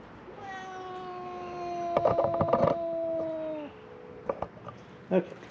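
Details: Feral cat at a closed-down building on Mare Island Naval Shipyard, Vallejo, California, one of three crying in hope of food: one long, steady, drawn-out meow of about three seconds with rich harmonics, overlaid by crinkling clicks and rustles.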